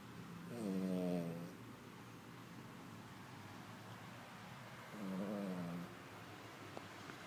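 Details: Snoring female Poodle, resting after an active day on a small farm: two rasping, harmonic inhalation snores about four seconds apart, the first louder, with a faint click near the end.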